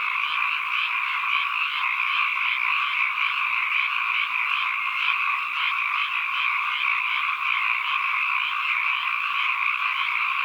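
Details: Many frogs croaking at once, forming a continuous high, buzzy chorus with regular soft pulsations roughly every half second, unbroken and even in loudness, nothing else heard.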